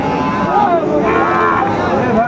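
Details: Sahiwal bull at a cattle market on 1 October 2024, with a farmer from Comilla, Bangladesh, buying. A drawn-out, wavering moo rises and falls over steady crowd chatter and nearby talk.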